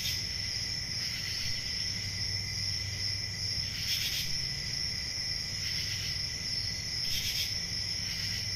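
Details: Steady high cricket trilling on a summer night, layered with a weaker lower tone and punctuated by short intensified bursts at irregular intervals, over faint low-frequency noise.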